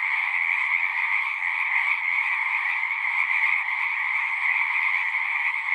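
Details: Chorus of frogs at a pasture pond, captured with a Zoom recorder; many overlapping shrill trills form a constant droning wall of sound that never pauses, with nothing else audible.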